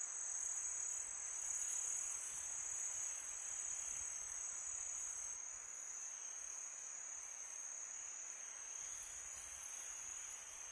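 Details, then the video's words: Summer night chorus of crickets, an unbroken shrill high trill holding one pitch throughout, with a faint airy hiss of wind beneath and slight waves of loudness near the start and end. "Crickets sound for meditation"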